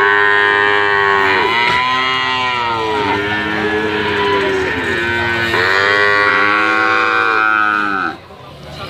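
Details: Brahman and Limousin cattle calves bawling, long harmonic moos that bend downward at their ends, overlapping voices in a steady chorus that stops abruptly near the end.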